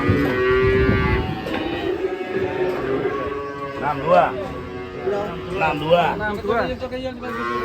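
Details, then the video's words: Cattle making trouble while being unloaded from a swaying truck: several drawn-out, harmonic moos, some rising and falling, heard over music and background noise. "SAPI LUCU BIKIN ULAH TURUN DARI TRUK OLENG"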